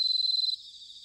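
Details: Bell cricket song from Sanuki, Chiba, Japan, in autumn: a brief burst of about a dozen quick, evenly spaced high pulses that stops suddenly, with a softer cricket chorus carrying on afterward.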